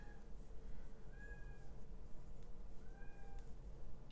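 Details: Male kitten outdoors, shut out and wanting to come inside, meowing twice with plaintive, level-then-dropping cries about two seconds apart, distant and muffled against a steady low hum.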